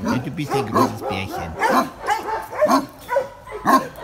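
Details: Benno, a reputed Landseer kept at the Tierheim Biberach, barks nervously at someone he does not know. Irregular gruff barks about once a second, with a human voice faintly mixed in.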